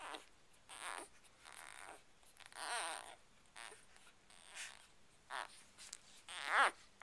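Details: Ruby's seven Chocolate Labrador Retriever puppies at two days old, healthy after their first vet check, utter a series of thin wavering squeaks and grunting whimpers, several per few seconds, in a quiet room.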